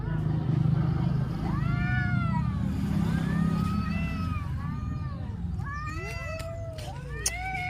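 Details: Cats crying, several drawn-out harmonic meows with rising and falling arcs, some overlapping, over a steady low engine-like rumble and background hum; a sharp click near the end.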